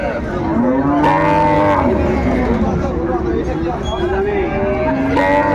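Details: Cows with calves at Ambari livestock market, Dinajpur, on 24 May: several overlapping drawn-out moos, some rising then falling, over a constant din of crowd chatter and bargaining voices.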